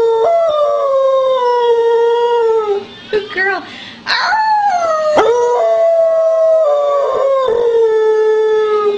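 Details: Layla, a female Beagle adopted from the SPCA, howls loudly indoors in spring 2009 after being asked to sing before going outside; long sustained tones slowly falling in pitch, a brief broken passage midway, then another drawn-out descending howl.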